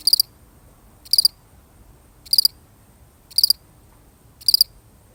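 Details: A lonely single cricket gives sharp, high chirps made of quick pulse clusters, about one per second, five in a row, against near silence with a soft low hum.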